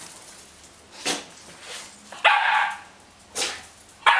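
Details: Löwchen barking while another dog tries to play with it, recorded January 2008; a few sharp barks with scattered softer yips between them.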